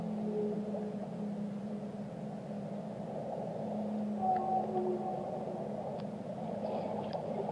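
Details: Whale singing in the deep: sustained low hums and moaning tones overlap, joined by a short higher wavering note and faint clicks, against steady underwater noise.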